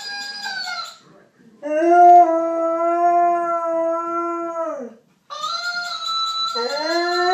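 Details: Husky howling in long, steady, drawn-out tones that fall away at the end, after a shorter howl, then a new higher howl rising in again.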